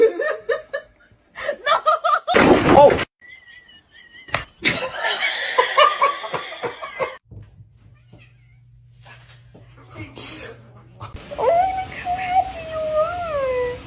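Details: Cat meowing near the end in a few drawn-out, wavering cries, after earlier human speech, laughter, sharp slaps and a low steady hum.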